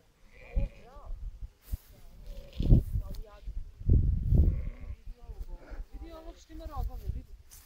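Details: Sheep flock above an old graveyard known as the Bogomil or Greek cemetery near Kakmuže village, Montenegro; several wavering bleats from different animals overlap, with loud low rumbling noise bursts, likely wind handling.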